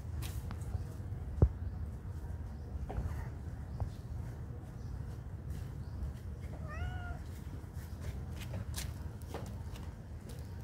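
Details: Friendly cats at a pagoda: one clear, rising-then-falling meow near the middle, over a steady low rumble with scattered clicks and taps.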